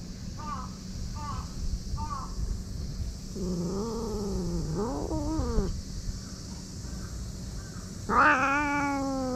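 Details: Aggressive stray cat named Karin, nicknamed the growling prince, put out of a park waiting room in Japan: short faint wavering cries, then a longer drawn wail bending down and up, ending in a sudden loud rising yowl.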